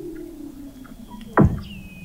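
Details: Weddell seal under the sea ice of McMurdo Sound, Antarctica, recorded November 2017 at 21 m depth: a faint low hum, then one loud, abrupt downward chirp, followed by a thin fading high tone.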